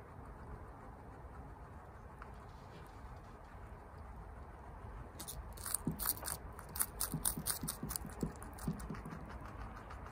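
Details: At home, female guinea pig Chia munches bok choy quickly. A quiet, humming room comes first, then a run of sharp, crackly crunches starts about halfway through and continues in quick, uneven bursts.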